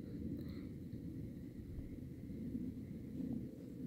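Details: Outdoor rural ambience of steady low rumble and faint distant hum, with no animal calls heard.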